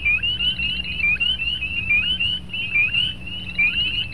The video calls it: Spring Peepers Calling